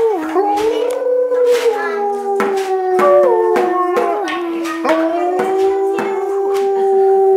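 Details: Female Alaskan Malamute howling along as children play music in a home jam session, joining in to bond with her family; long wavering howls sliding up and down over steady percussive beats from the instruments.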